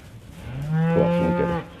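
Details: Cows with calves on a grass farm in the Crooked Run Valley near Delaplane, Virginia, called by the farmer in mid-December: a single low moo of about a second, steady and level, rising slightly in strength toward its end.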